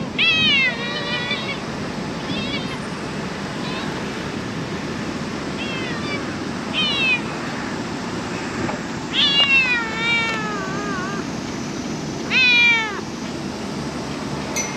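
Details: Japanese stray cat filmed in late July 2023 meowing repeatedly: about six separate falling, slightly wavering meows spread over fifteen seconds, some short and some stretched, with a person talking softly in between.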